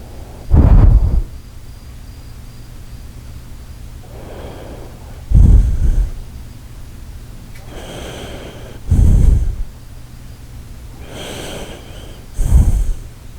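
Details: Shiba Inu Koharu fast asleep, her snore compared to the Titanic leaving port: deep, heavy snorting inhales roughly every four seconds, each followed by a softer hissing exhale, nothing else audible.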